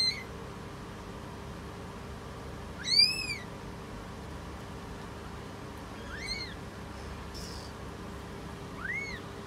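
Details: Meows from a British Shorthair cat while giving birth. Three arched, slightly rising-then-falling mews, the first loudest with bright harmonics, the others softer, separated by about three seconds, over a steady low hum.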